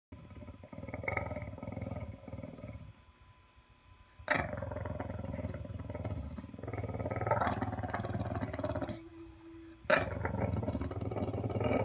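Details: Bailey the bulldog, unhappy, growling: a low, rough rumble that runs on in long stretches, swelling and fading, broken by short pauses, with a sharper burst near the end.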